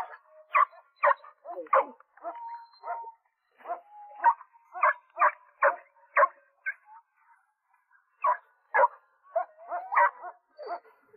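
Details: Dog at play, yelping after success following reluctance: bursts of high strained yelps and brief whines, in clusters with short pauses between.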